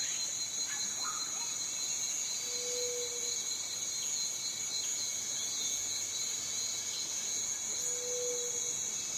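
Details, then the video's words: Unbroken piercing buzz of a cicada holding one high pitch throughout, with a softer steady tone lower down and two short low hums, one early and one near the end. "Som de cigarra - Barulho da Cigarra"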